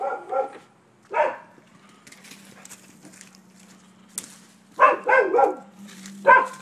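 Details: Neighbors' dogs in Florida, recorded 7 December 2015 as nuisance barking; short harmonic barks come singly, then in a quick burst of three near the end, with a steady low hum and faint clatter in between.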